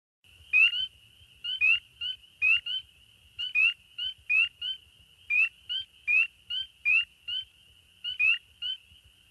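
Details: Spring peepers, one of the first Minnesota frogs to start calling in spring, call in a chorus of high, clear, rising peeps repeated in quick succession.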